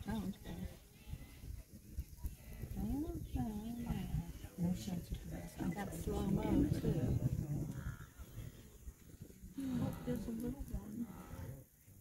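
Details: Wildebeest during the migration in the Serengeti, Tanzania, recorded 27 June 2023: a herd giving many overlapping low nasal grunts and moans, some rising and falling, in a continuous chorus, with people talking quietly nearby.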